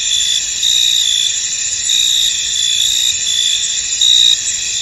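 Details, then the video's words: Crickets in a misty, foggy field, a dense high chorus of steady trilling with brighter chirping bursts rising above it about every second, no other clear sounds. "Tranquil Cricket Sounds In An Misty Field"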